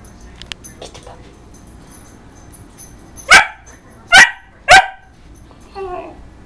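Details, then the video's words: Pet dog barking at its own reflection: a few faint sounds, then three sharp barks in quick succession, followed by a softer, tonal whine-like call near the end. "barking at reflextion"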